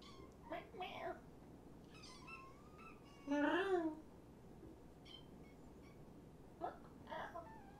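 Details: Rescued kittens, five from two litters surrendered in Tacoma, socialised indoors at night by a visitor. One clear drawn-out meow bends down near the middle, with a few fainter mews and soft human talk around it.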